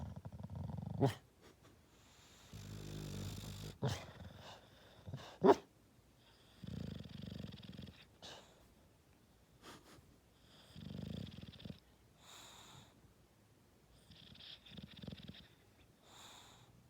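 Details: Sleeping bulldog Buckeye snores softly while dreaming. Low, breathy drones return every few seconds, mixed with one rattling burst near the start and faint sniffs and snuffles.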